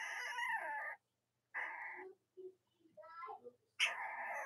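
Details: Cavalier King Charles Spaniel puppies from Robin and Myra's litters, indoors on a chilly Monday morning near Halloween in the US: high, strained squeals held about a second each, with quieter whimpers and faint human voices between them.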